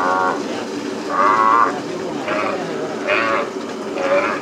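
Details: Calves being branded on a plains ranch, with short, harsh bawls about half a second long repeated roughly every second, loud and strained, over a steady background of herd noise.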